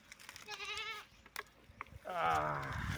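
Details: Goats raised at home calling while given drinking water during hot weather; two quavering bleats, the first brief and moderate, the second louder, longer and falling in pitch, with a clatter between them.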